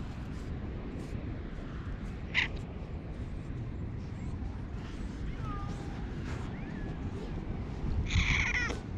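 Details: Stray cat with a hoarse voice behaving affectionately, filmed outdoors on a GoPro HERO8; two short, rough meows, one near the middle and a longer one near the end, over steady low outdoor rumble.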